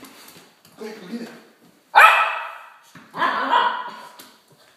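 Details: A 3-year-old female Italian Greyhound meeting her first Halloween pumpkin gives two sharp, loud barks that trail off, with softer voices between.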